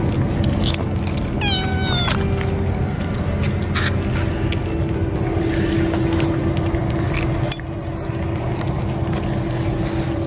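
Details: American Shorthair-patterned kittens huddle against their mother cat against the cold and eat greedily when fed; one high, harmonic meow that slides downward, then a steady low droning background with faint clicks.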